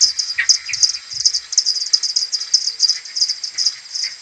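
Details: Common pipistrelles from a maternity colony returning to their roost in the morning on 21 May, slowed tenfold, AudioMoth recorder: dense rapid trains of short high ticking pulses, overlapping from several bats, with occasional lower chirps mixed in.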